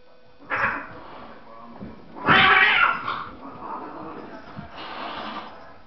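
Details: Two domestic cats fighting, one attacking the other indoors: harsh screeching yowls in three bursts, a short squall near the start, a loud rasping scream in the middle, then a fainter drawn-out wail at the end.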